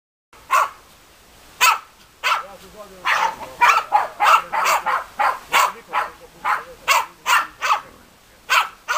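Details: German Hunting Terrier dogs Bagira and Cox von der Fuchskralle give sharp, mid-pitched barks, about seventeen in nine seconds at an uneven, urgent pace, with a faint low voice murmuring beneath.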